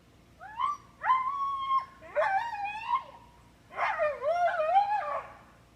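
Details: Three-year-old male Siberian Husky screaming when tied out, in a human-like way. Three bursts of high, wavering whine-howls slide up and down, some notes held level and others warbling, with quiet pauses between.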